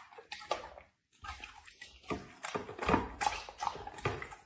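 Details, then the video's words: A dog eats food in a small room: quick, irregular crunching bites and wet mouth smacks, about two or three per second after a short silent gap. "dog eating food"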